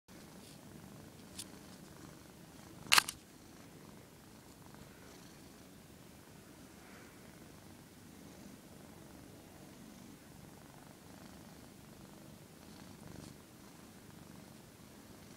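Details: Pet cat that dislikes being filmed, purring in a low, steady, rumbling drone throughout, with one sharp click near the start.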